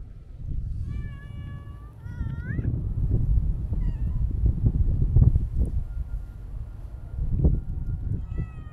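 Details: Siamese mix stray cat meowing twice, a short call followed by a longer, wavering meow that bends upward at its end. Low rustling and handling noises continue afterward, and another faint meow comes near the close.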